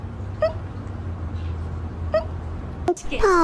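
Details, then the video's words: Hiccuping house cat that gulped its food too quickly gives two brief, high, squeak-like hiccups roughly 1.7 seconds apart, followed by human laughter at the end. "Who’s hiccuping? It’s the cat!"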